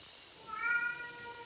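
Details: Pet cat named Fifi, a male who talks back whenever his owner speaks to him, answering with a single drawn-out meow that swells and fades over about a second, in a quiet room between the owner's Tagalog questions.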